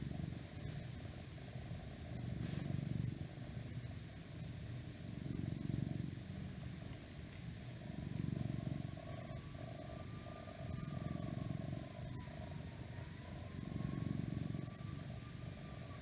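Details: Domestic cat purring steadily indoors, a low rumbling drone that swells and fades in slow breaths roughly every two and a half seconds, with a faint wavering tone of outside noise in the background.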